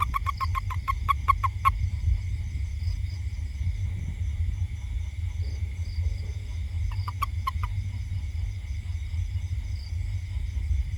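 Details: Toad calling in a house garden: a quick burst of clicking pulses at the start, then a short second burst later, over a constant high insect drone and low rumble.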